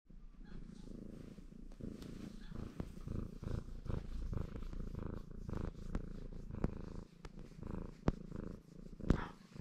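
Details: Baron, a ginger male Maine Coon, purring in a contented mood while washing himself; a steady low rumbling throb with sharp licking clicks and faint rustles scattered through it.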